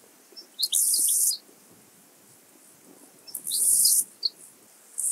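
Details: Two-coloured Grasshopper singing at Illmitz, Austria, on 21 July 2021, with high, dry buzzy phrases of about half a second, each flanked by a few crisp ticks, repeated roughly every three seconds over soft background rustle.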